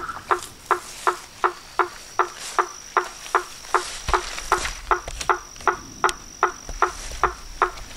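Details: Toads, frogs and treefrogs calling at dusk from a pond in front of a house porch: short knocking notes repeat steadily about every third of a second, each with a low and a higher tone, and a faint constant high hiss sits behind them.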